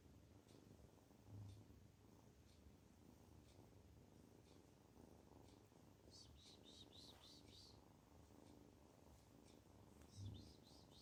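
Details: A contented kitten purring, a steady low rumble pulsing in even rhythm throughout, with a burst of high bird chirps in the background midway and again near the end.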